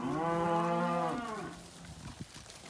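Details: Weaner Angus cattle, steers and heifers, at a Casino sale on 12 March 2021; one loud, rich moo lasting just over a second, then tailing into quiet with a couple of faint knocks.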